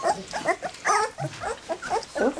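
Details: Three-week-old black English Labrador Retriever puppies crowding around goat's milk for the first time; quick bursts of squeaky yelps and grunts, about one every quarter second, with lapping noises.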